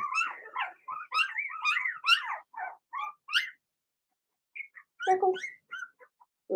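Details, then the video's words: Blenheim Cavalier King Charles Spaniel puppies, Remy's first litter of six, in the Red Barn Cavaliers puppy pen: a burst of high, wavering yips and whimpery barks for over three seconds, a pause, then scattered short yelps. "Cavalier Puppies Bark, Howl"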